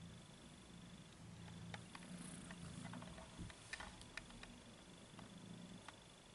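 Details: Domestic cat purring: a steady, low rumbling throb that continues through the whole stretch, with scattered soft clicks and taps and a faint, constant high-pitched tone in the background.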